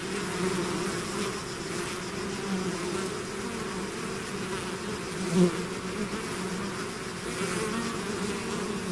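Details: Continuous buzzing of a bee swarm emerging from its hive, a warm, even drone with wavering low tones and one nearer bee briefly louder midway.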